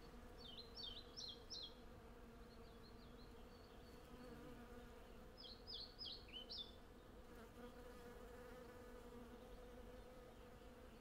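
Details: Hundreds of honey bees foraging on a blossoming cherry tree, recorded in stereo with a Zoom F6 and Sennheiser MKH 8040: a steady, low droning hum throughout, with bursts of quick, high chirping birdsong near the start and middle.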